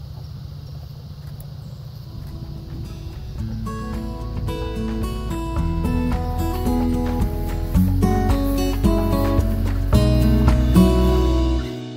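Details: Instrumental music with steady bass notes and stepping melody tones builds over a low rumble, with no birdsong audible.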